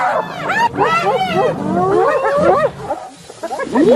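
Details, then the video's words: Hyenas in a group produce overlapping squealing giggles and bent, sliding yelps, with a short lull before a final rising whoop-like cry. "صوت الضباع"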